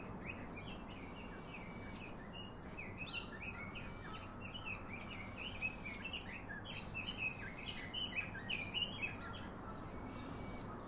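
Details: Baby monkey calling its father for a comforting hug: high, drawn-out squeals with a strained, harmonic tone, repeated roughly every second. Bird chirps and steady outdoor background noise are also present.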